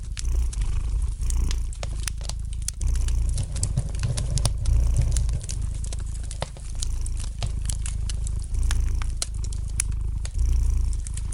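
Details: Relaxed domestic cat purring by a fireplace: a deep, rolling rumble that surges and fades in breath-length waves, accompanied by dense crackling and popping from the burning wood.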